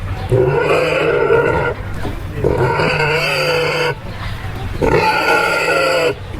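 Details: A farm pig gives three long, loud, harmonic squeals, each over a second, spaced about two seconds apart, with faint background voices.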